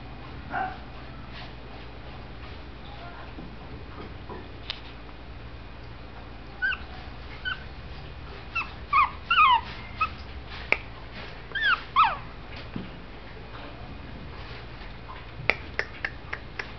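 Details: Young male Shih Tzu puppy born November 2011, kennel-raised, giving a string of thin, squeaky whimpers and rising-falling yelps clustered in the middle, amid light clicks and a low steady hum.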